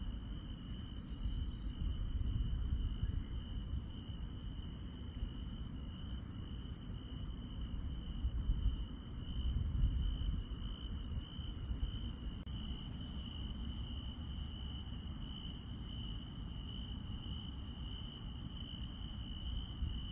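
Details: Grass insects at night in the countryside: a steady, unbroken high trill runs throughout, overlaid with short, very high chirps repeated about every half second and a few louder buzzy bursts, over a constant low rumble.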